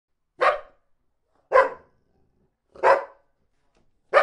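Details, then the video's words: Dog barking while another dog sits quietly: four loud, short, rough barks evenly spaced about one second apart, with silence between them. "Dog 🐕 is sitting quietly and the other dog is Barking"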